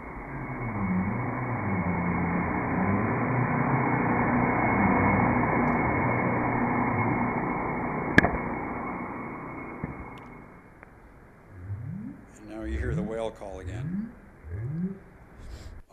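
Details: North Atlantic right whale up-calls, low rising whoops, recorded by hydrophone buoys at Stellwagen Bank, Massachusetts Bay, emerge as the heavy roar of a ship passing over the whales fades.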